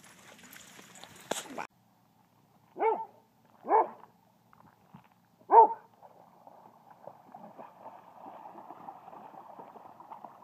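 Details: Dog at a dog park inviting another dog to play, wanting to be chased: three short, mid-pitched barks roughly a second apart, followed by a faint, steady whining tone with quiet background noise.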